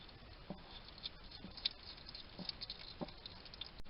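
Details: Wild hedgehog feeding in a Somerset garden in the UK, a small male munching and chattering: short clicky chewing bursts repeated about every half second, faint and close.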